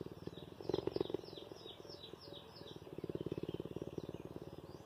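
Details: A cheetah purrs steadily with affection toward its caretaker, a deep, rapid pulsing rumble, while small birds chirp in the background.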